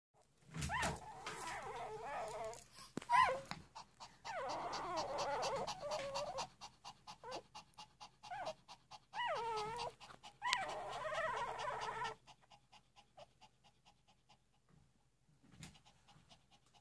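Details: Three-day-old puppies whimpering and squeaking in a run of short, wavering, high-pitched cries that come in quick bursts for about twelve seconds. Soft panting-like breaths follow, then near quiet with one last faint squeak.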